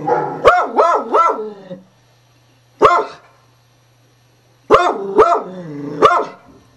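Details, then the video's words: A beagle barks at sound effects played from a computer, giving bursts of loud, baying barks, each rising and falling in quick triple pulses. "Cocoa (Beagle) Barking At Computer Sound Effects"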